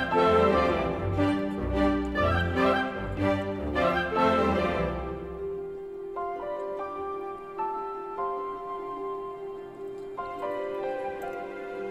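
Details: Orchestral music swells, then fades into quiet sustained notes and gentle ticking, with no animal sound heard.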